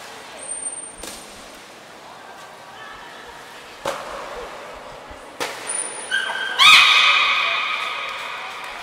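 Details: Gray and Mirai, belugas training at Port of Nagoya Public Aquarium, 22 August 2022: two short high thin whistles and scattered knocks, followed by a loud burst of rich, rasping harmonic calls in the final seconds.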